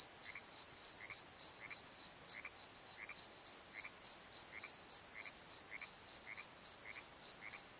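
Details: Crickets at night in a valley bottom, rapid high chirps in regular pulses over a steady trill, with a fainter lower chirping insect or frog repeating about once per second underneath.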